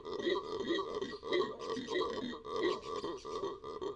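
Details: A Venezuelan red howler monkey (Alouatta seniculus) in the Amazon gives a deep, rasping roar that surges in rough, throaty pulses.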